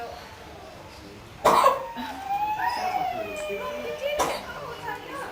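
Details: Oscar, a captive koala at Featherdale Wildlife Park, Sydney, Australia, gives two sharp, harsh coughs while suffering from a cold, with a person talking between them.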